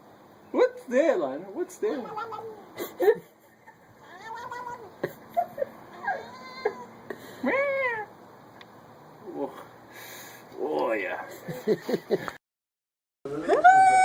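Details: Cat making strange sounds indoors: a rapid series of short, bending meows and yowls, some rising and falling in quick loops, separated by brief pauses, with occasional clicks and handling noise.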